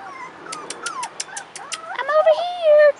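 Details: Young Rottweiler puppies, 4.5 weeks, outdoors for the first time: a row of quick, evenly spaced ticks, then a loud, sustained, slightly wavering whine that rises and settles, layered with softer whimpers.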